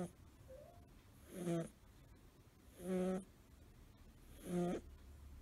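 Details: Five-month-old male American Shorthair kitten Suzu, blue tabby, snoring in his curled sleeping position: three loud, buzzing, harmonic snorts about every 1.5 seconds, with quiet room noise between them.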